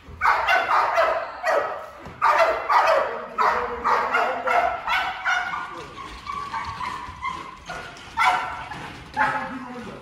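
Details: Malinois in a breeding program, bark conditioning session: bursts of loud barks, clustered in the first half then sparser and spaced out, with a voice speaking in the background.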